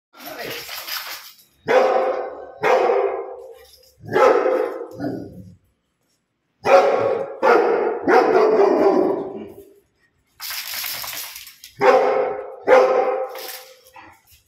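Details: Rottweiler barking indoors: loud, deep barks in clustered bursts with short pauses between groups, mixed with people speaking nearby.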